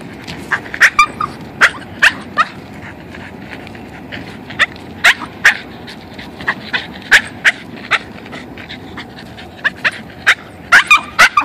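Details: A male Boston terrier, excited about going on a walk, lets out sharp, high yips and short barks in irregular quick bursts, with eager whimpering notes in between.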